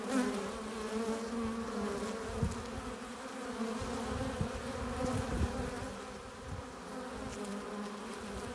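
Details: Continuous hum of honey bees entering their hive with pollen and nectar; a thick, even buzzing chorus with steady drone bands, small rises in loudness and individual bees flying close by now and then.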